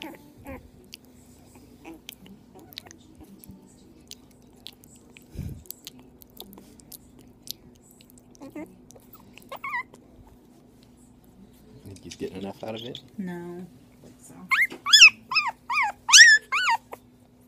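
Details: Two-week-old foster puppy, a Jack Russell terrier, chihuahua and dachshund mix, during bottle feeding indoors. Mostly soft clicks and suckling noises at first, then a closing series of loud, high, wavering whines and squeaks.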